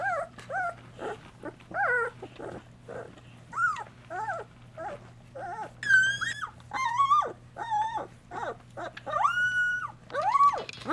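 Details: Two-week-old Golden Retriever puppies, eyes newly open, wobbling about the whelping box while their mother nurses and cleans them; repeated arching, wavering whines and squeals, some rising high and shrill, over a constant low hum.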